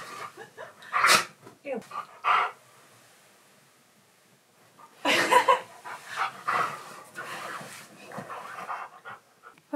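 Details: A Siberian Husky, eager to play and in an excited mood, gives groaning, talking-like bursts. The bursts are separated by a quiet pause of a few seconds, and a person's voice and breathing are heard between them.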